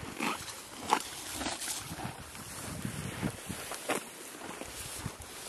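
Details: Billy the horse grazing on green grass beside a creek, with irregular crunchy tearing and chewing bursts, a few sharper crisp snaps, over a steady soft wash of running water.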